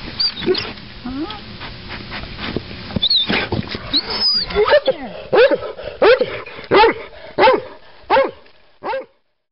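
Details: A hunting dog keeps digging relentlessly for a chipmunk, over an hour of pursuit. Scrabbling and a brief spoken word give way to a steady run of shrill, excited yelps, roughly one every half second, fading out at the end.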